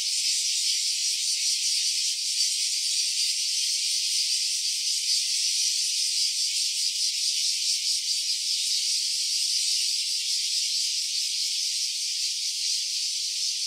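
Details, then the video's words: A cicada's unbroken metallic whir, stereo phone recording on an OPPO Reno A; the high-pitched drone carries a quick, slightly uneven throb and stays level from start to finish, with no other animals. "Cicada's voice."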